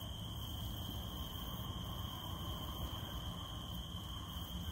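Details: Cicadas hold a steady, unbroken high-pitched drone throughout, over a dense low rumble and patter of falling rain.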